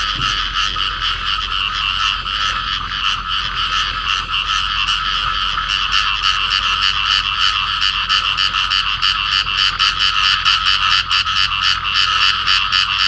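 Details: A field frog pair in amplexus calling: long, unbroken series of raspy, quickly pulsed croaks at a steady pace, becoming crisper and more sharply separated in the second half.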